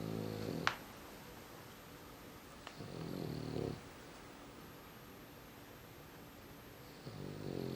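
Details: Umekichi, a dog, worn out and sleeping deeply indoors, snores in low, rough, harmonic breaths lasting about a second each. Three snores come at roughly three-second gaps in a quiet room, with a sharp click near the start.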